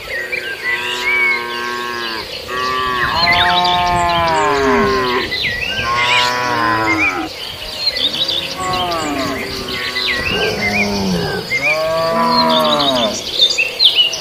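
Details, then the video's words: A herd of sacrificial beef cattle feeding on fresh green grass. Overlapping moos follow almost without pause, some low and groaning, others higher and wavering, about six calls. Birds chirp faintly in the background. "suara sapi"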